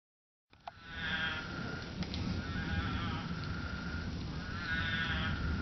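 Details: Spadefoot toads in Arizona, emerged from the ground to mate after monsoon rains saturated the soil, giving nasal, bleating sheep-like calls about a second long, several overlapping, over a steady low rumble of background noise.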